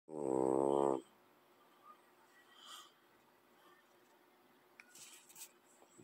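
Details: A sleeping French bulldog lying beside a cat gives a single loud, rasping, harmonic snore lasting about one second, followed by quiet room noise with faint rustles.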